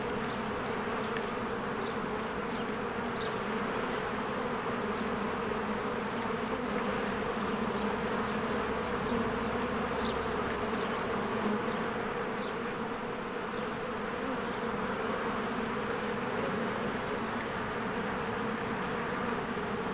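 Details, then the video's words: Spring beehive with many honeybees working diligently and flying in and out of the hive; a continuous, even, humming buzz that holds steady for twenty seconds, with a few soft distant bird notes above. "1 Hour of a Beehive ASMR"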